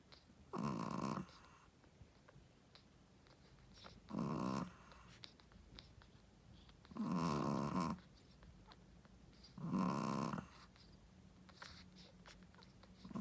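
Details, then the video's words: Shih Tzu mother dog, a first-time mother, asleep and snoring. Four harsh, rattling snores come about every three seconds, each under a second long, with quiet pauses between. "How loud does a shih tzu mommy snoring?/ Shih tzu snoring"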